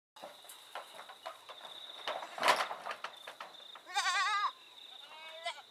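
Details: Boer goats bleating: a loud wavering bleat with stacked vibrato harmonics near four seconds, a second fainter quavering bleat near the end, scattered clicks and rustles, and a steady high whine running throughout.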